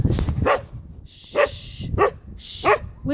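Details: Freshly groomed Standard Poodle with a continental clip barking indoors while its owner tells it to be quiet: five short, sharp barks spaced about half a second to a second apart, broken by hissed shushing.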